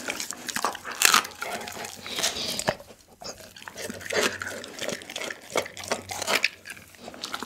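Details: Daggy, a pit bull dog, eats a whole chicken, filmed on an Insta360 ONE R camera: irregular wet crunches and bone-cracking bursts come every half second or so, with short quiet gaps and one louder snap near the start.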